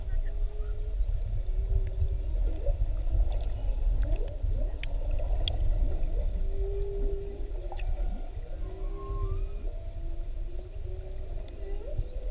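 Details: Underwater GoPro recording of a whale near Maui: a string of short, steady moans and brief upward swoops repeats through the passage, set over a constant deep wash of water and engine rumble.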